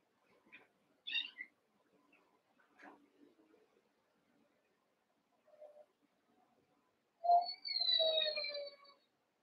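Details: Cavalier King Charles Spaniel puppies, eight together in a pen, one month to seven weeks old, wrestling and playing: a few short high squeaks, then a loud drawn-out whining yelp that slides downward, in an otherwise quiet room.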